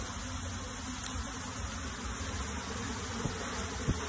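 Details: Buzzing of a honey bee colony during transfer into a box: a continuous massed drone of many insects, low and even, with a few brief soft clicks or taps near the end.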